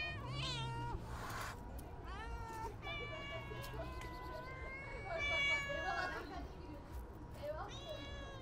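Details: Stray cats being fed, meowing repeatedly; many overlapping harmonic meows, some rising then falling, others long and level, from more than one cat, over low rumbling street noise and brief clicks.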